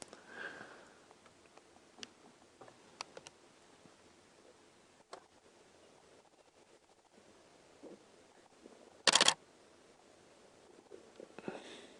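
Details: Quiet indoor-like ambience with faint clicks, a brief sharp mechanical burst like a camera shutter, and soft rustling; no animal voice stands out.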